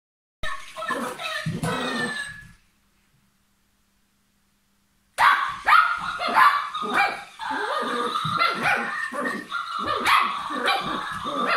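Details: Papillon dog at play: a burst of high, yappy barks, then a few seconds of silence, then a dense run of sharp yips and growly barks tumbling over one another at an uneven, excited pace.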